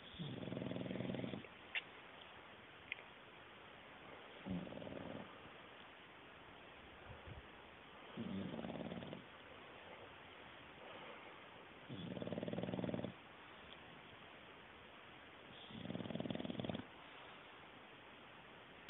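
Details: English bulldog, a male, deeply asleep, snoring in a steady cycle: five rough rattling snores about every four seconds, each around a second long, with soft breathing and faint clicks between.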